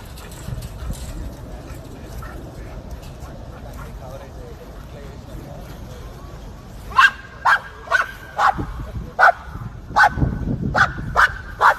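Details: Dog chasing squirrels, a series of sharp repeated barks starting after about seven seconds, roughly two per second, following a stretch of background noise and faint speech.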